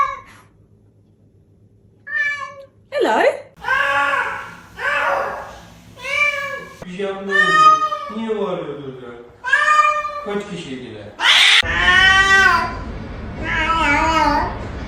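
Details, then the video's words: Domestic cat meowing repeatedly indoors, a series of drawn-out, arching, harmonic meows of varied pitch, some rising and falling, mixed with human speech throughout. "Two sounds of a cat"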